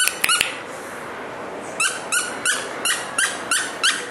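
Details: Young male Maltese dog, born 29 January 2012, gives a series of high, squeaky yaps, one roughly every third of a second, after a few sharp clicks at the start.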